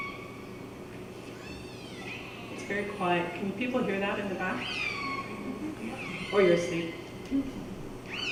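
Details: Killer whales (Orcinus orca) give a run of sweeping, harmonic calls that rise and fall like drawn-out squeals, in a modelled recording at the entrance to Kitimat, before ship noise masks them.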